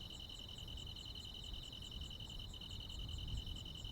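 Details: Crickets joined by other insects on a countryside midsummer night, a fast even train of high pulses with a brief break midway, a faint higher ticking caller, and a low rumble underneath.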